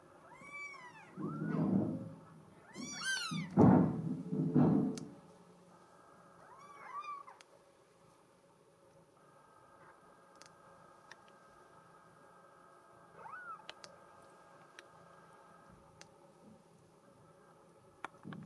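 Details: A solid mink Bengal girl kitten meows in quick bursts of bright, bending cries over low thumps and rustling during the first seconds, then falls mostly quiet, with one faint later meow.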